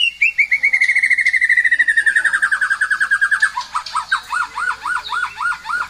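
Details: Pet white-rumped shama singing lively: a long series of quick whistled notes gliding slowly downward, then a run of repeated arched whistles, over faint low background noise.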